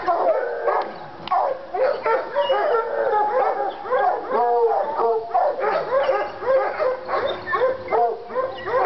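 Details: Two Treeing Walker Coonhounds, Lady and Cooper, in North Carolina, fired up on a coon skin; overlapping harmonic bawls and barks come in dense, rapid succession with no pauses, both dogs calling over each other.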